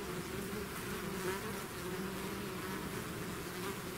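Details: Short stretch of a bee swarm out of its hive, a steady, dense, humming buzz of many wings without pause.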